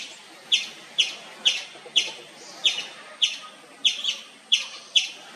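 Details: Repeated loud chirps of an Indian palm squirrel: crisp, high-pitched single chips spaced about half a second apart, one or two doubled, against faint background hiss.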